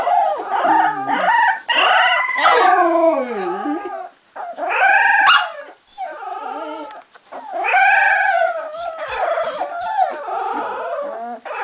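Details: Howling chorus from a Swedish litter of Cardigan Welsh Corgi puppies aged 3.5 weeks: long wavering cries that slide down and back up, in bursts separated by brief pauses.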